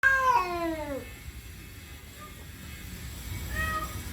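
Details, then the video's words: Male house cat making weird territorial, aggressive noises at the sight of another cat outside: one long harmonic yowl that slides downward over about a second, then near quiet with a faint short wail near the end. "make weird noises when he saw another cat outside"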